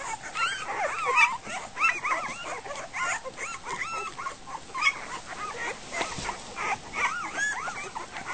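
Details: Chaotic chorus of Goldendoodle puppies, just over a week old, at dinner time: dense, continuous high-pitched squeals and whines, arching up and down and overlapping from several pups, with occasional soft clicks and rustling.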